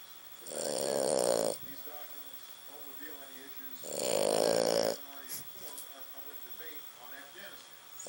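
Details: A French Bulldog sleeping on a couch snores loudly, like a man: two long rasping snores about three seconds apart.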